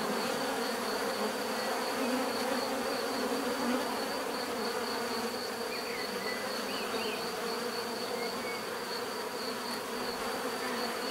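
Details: Steady natural drone of a bee swarm, rich layered humming without pause, with occasional soft bird twitters far off behind the buzz.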